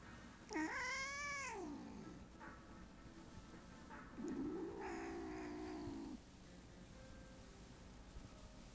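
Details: A house cat that growls and hisses at her owner, said to be showing love. A rising-then-falling wavering yowl is followed by a lower, flatter, rough, sustained growling cry.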